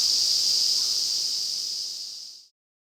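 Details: Ezo cicada chorus from the Afan Woodland in Shinanomachi, Nagano, Japan, recorded during midsummer in August. An intense, steady high-pitched buzzing drone gradually softens and fades out after about two and a half seconds, followed by silence.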